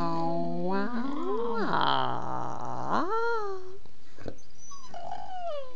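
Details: Bella, a pet dog chatting with her owner, gives a rising whine that swells into a rough, growly moan and slides back down, followed by a short click and a softer higher whimper.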